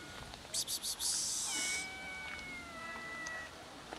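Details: Three-legged black female cat asking for food: one long, drawn-out meow, level then gently falling, follows a person's soft hissing 'psst' sounds.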